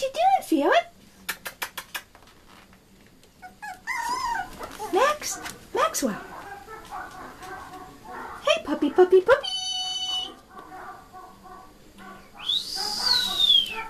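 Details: Shih Tzu puppies indoors in a small room, giving high, arching whimpers and whines in short bursts, mixed with a person talking to them, a brief steady tone and a rising squeal near the end.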